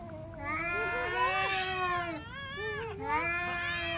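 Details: Two pet cats squaring off indoors: loud, continuous harmonic yowling that wavers and climbs, briefly dips, then resumes in a long, strained howl.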